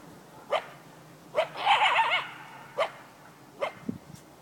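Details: Lone coyote defending his territory: short sharp barks spaced about a second apart, broken by a wavering, yodelling bark-howl in the middle, in an otherwise quiet setting.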